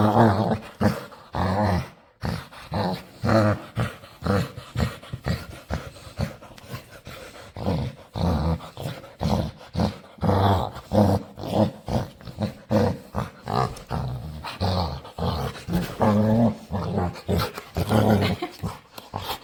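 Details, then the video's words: Dog begging to play with a person, making odd playful noises: rapid, choppy run of short low grumbles and whines, closely spaced throughout, with a person's voice around it. "Cutest Dog Begs To Play | Adorable Dog And Human Compilation Video | Playful Dog Makes Weird Noises"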